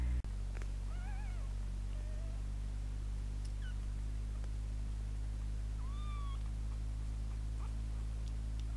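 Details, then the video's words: Two kittens fighting indoors while an older sister cat joins in, giving a few thin, high mews with wavering, stacked overtones, some short and rising, others bending downward, spaced irregularly over a constant low electrical hum, with a sharp click at the start. "Kitten fight"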